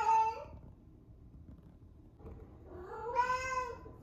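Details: Eleven-month-old rescued female cat at the peak of her first heat, calling a lot before spay surgery: a short meow, a pause, then a long drawn-out wavering yowl that rises and falls in a quiet room.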